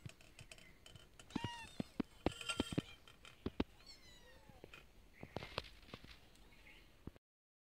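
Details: Street cats fed every day, eating their food: dense rapid clicking and crunching from chewing, mixed with several short bending meows rising and falling, then quieter scattered chewing clicks toward the end.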